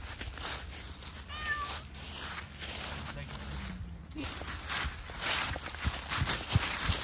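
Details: Zoey, a cat playing freely outdoors in Pushkin Park, gives one short meow with a rising then falling tone near the start, followed by rustling, footsteps and brief human speech.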